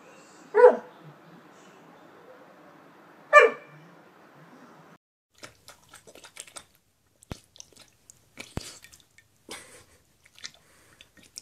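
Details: American Staffordshire Terrier giving two short, sharp barks about three seconds apart over a low hum, followed by quiet clicks and tapping.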